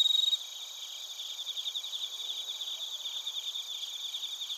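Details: Bell crickets and crickets recorded in Narita, Chiba, Japan, on a TASCAM Portacapture X8: a brief loud pulsed burst opens, then a dense, steady high ringing trill of overlapping chirps continues beneath a constant shimmering insect chorus.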